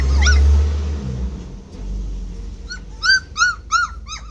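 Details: Standard poodle puppies aged 26 days, uneasy on early outings to the garden: loud low rumbling noise first, then a quick run of high, arching squeaky whimpers repeated about three times a second.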